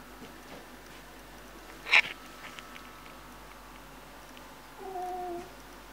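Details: A male Oriental Shorthair cat attacking a Rottweiler gives a sharp, breathy hiss-spit, a threat aimed at the dog.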